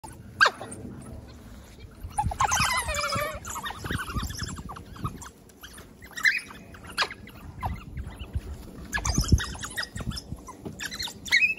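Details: African painted dogs at Monarto Zoo, heard up close: bursts of high twittering chirps around two to three seconds, sharp clicks and knocks scattered throughout, over a low rumbling background of outdoor noise.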